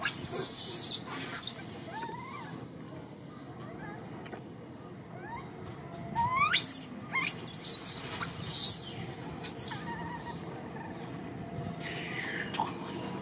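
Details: Orphan monkey Martin crying for Malida: very high-pitched wavering squeals in clusters, mixed with softer lower rising whimpers and quiet rustling between bouts.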